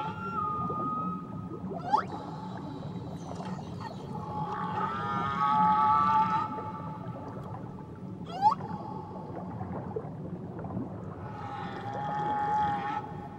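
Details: Whales off Tahiti sing long tonal moans and squeals, some rising and wavering, over a low underwater rumble.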